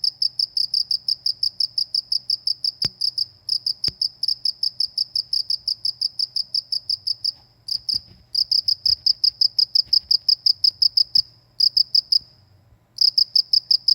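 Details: Countryside cricket giving fast, evenly spaced high chirps in long runs with brief pauses, a couple of sharp clicks early on, quiet low hum beneath, in a calm rural setting.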